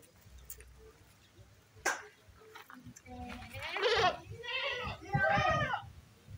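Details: Female goat ready for breeding, about nine months old, kept in a pen: two wavering, quavering bleats near the end follow a man speaking, with a sharp knock earlier.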